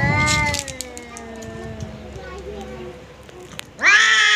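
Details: Domestic cat facing off with a visiting cat, drawn-out wavering yowls with stacked harmonics, a loud opening cry, a long sagging moan, then a sudden sharp rising wail near the end.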